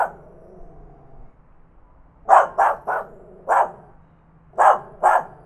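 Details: Tiny dog barking loudly, recorded on a Zoom H5 handy recorder: a soft whine, a pause, then six sharp, clipped yaps in quick uneven bursts.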